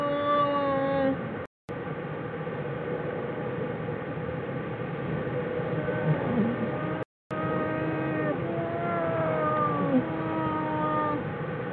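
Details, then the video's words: Jewel's den in winter, January 16, 2013, where the bears 'sing': overlapping sustained, wavering tones with rich overtones run almost without a break, sliding gently up and down. There are two brief dropouts. "Jewel's den .. Singing bears"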